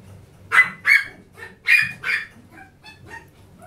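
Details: A lively, energetic Chihuahua gives four sharp, high yapping barks in quick pairs within two seconds, followed by a few fainter, softer yips.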